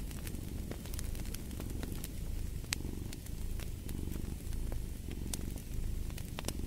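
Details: Steady rumbling cat purr carrying on without pause beneath busy fireplace crackle, with many sharp pops and clicks from the fire.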